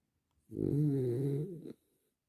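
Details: French Bulldog snoring while relaxing, a single rough, buzzy inhaled snore lasting just over a second in a quiet room.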